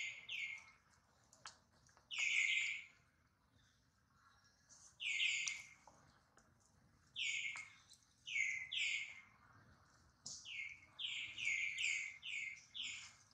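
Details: Baby monkey Duke cries after being hurt in a failed catch by his mother, Duchess worrying nearby; piercing descending squeals come singly, then in quick bursts of three to five near the end.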